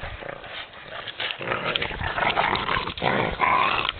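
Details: Boston Terrier at Mont-Cumming, Chibougamau, Quebec, gives rough, gruff barks and grumbling noises in quick, irregular bursts.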